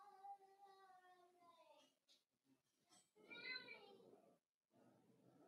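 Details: Cavalier King Charles Spaniel puppies, four weeks old, in a home puppy pen during socializing and feeding: a long steady whine wavering in pitch, followed by a rising, quavering cry, with background room noise and brief voices.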